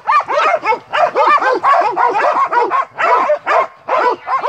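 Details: Montenegrin Mountain Hounds from kennel Sutorman in full cry on a hunt, loud musical barks tumbling together in quick bursts, nearly continuous across the few seconds.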